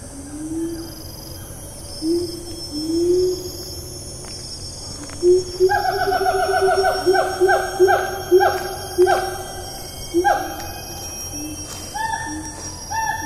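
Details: Rainforest siamang, Taman Negara National Park, Malaysia, 4 April 2019: several low rising hoots build into a quick series of loud, ringing barks that fall in pitch. Scattered rising notes follow, with steady insect buzzing throughout.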